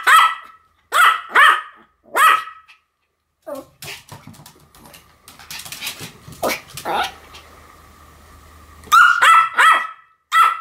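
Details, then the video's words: Sam and Marin, two Pomeranians, bark together: three crisp yaps, then a noisy stretch of scattered yips and shuffling, closing with a quick burst of four high barks. "犬の鳴き声 ポメラニアン サム マリン デュエット吠え"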